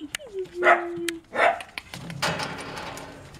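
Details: Young Dachshund pups, litter born 5 February 2013, Itapetininga, São Paulo, Brazil, give a long steady whine that slides down and holds, then two quick yelps and a scratchy burst of noise.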